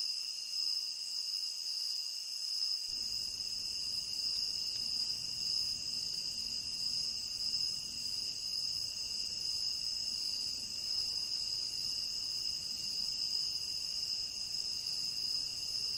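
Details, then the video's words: High, constant chirping of crickets in a tropical rain forest forms a seamless buzzing wall of sound; after a quiet start, a low soft rumble joins and stays underneath. "Endless Cricket Chirping"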